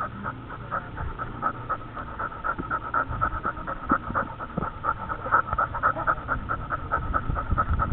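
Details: Dog on a dog camera, breathing in steady, quick pants that grow louder toward the end, with soft handling rustles underneath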